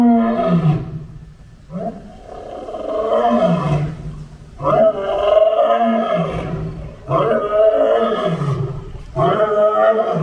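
A lion gives a series of deep, throaty roars, each swelling and then falling away.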